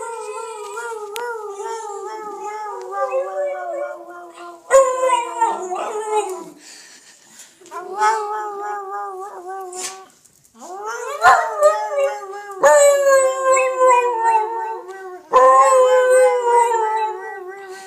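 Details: Piccolo the dog making funny noises: long wavering howl-like tones around a mid pitch with rich harmonics, sliding and warbling, in several bursts separated by short pauses; a person says "Bobino?" beforehand.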